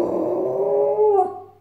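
A Cairn Terrier gives a drawn-out, wavering howl-like vocalisation that slides slightly upward before fading.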